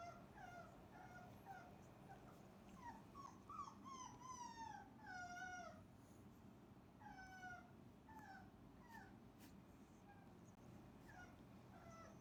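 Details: Cane Corso puppies, the litters of Didi and Lexi, lying in one big messy pile after diving into breakfast; many high, wavering whimpers and squeals, some falling in pitch, overlapping in quick succession over a steady low background rumble.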